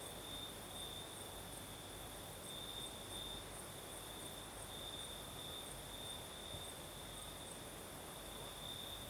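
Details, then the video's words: Night chorus of crickets in Crimea's south, with a continuous high-pitched trill beating in slow pulses. A gentle rushing night breeze fills the lower range throughout. "Звук ночи. Юг. Крым. Сверчки поют."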